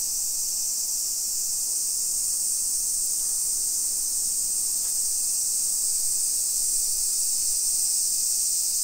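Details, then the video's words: Loud, relentless shrill buzz of summer cicadas, recorded at 1 PM on 28 July 2021 in a modern suburban neighborhood of Nisshin, Aichi, Japan; an even, continuous high droning wall of sound with a faint single tick midway. "Summer Cicadas Sounds"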